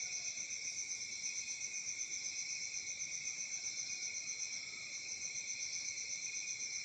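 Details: Night crickets in summer in Africa: a bright, high, buzzing trill with a regular pulse of about four per second, dipping briefly in loudness near the end.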